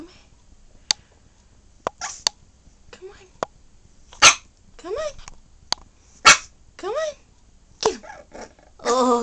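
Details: Snoopy, a pet puppy indoors during play, gives scattered short harmonic yelps and whiny barks that bend downward. A louder, longer whine comes near the end. Clicks, taps and a person talking to the dog come in between.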